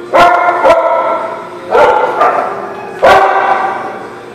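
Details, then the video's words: Dogs at a dog park giving a few loud, harsh barks in pairs, spaced about a second or more apart, with faint background noise between them. "The Barking Lot"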